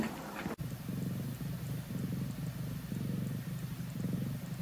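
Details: Grey tabby female foster cat, on her fifteenth day in a home, coming out of hiding from a cat tower while a person is in the room; a steady, low, rhythmic purr pulses in even cycles after a brief click at the start.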